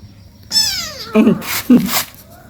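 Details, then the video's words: An 18-day-old kitten playing with its mother at home: one clear, high, tonal meow that slides steadily downward over about half a second, followed by short bursts of noisy rustling and a voice. "cat meowing sounds"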